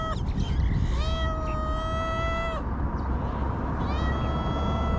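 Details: In Ras Al Khaimah, UAE, homeless street cats call with one long, sustained meow, followed by a brief pause and a second meow starting, all over continuous low-pitched background noise.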